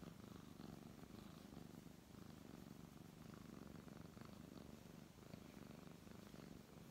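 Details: Being stroked, a brown tabby cat gives a soft, unbroken purr, a low buzzing rumble that pulses gently with its breathing, nothing else clearly heard.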